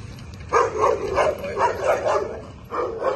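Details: Bull Terrier dog barking during table work training: a quick run of sharp, mid-pitched barks, about four to five per second, with a brief pause before a final pair. The room is otherwise quiet.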